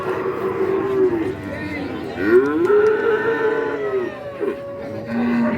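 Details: Cattle at the Kajen livestock market in Pekalongan, Central Java, a market held every Wednesday: several long, low, wavering moos overlap and rise and fall over a few seconds, with crowd murmur and voices underneath.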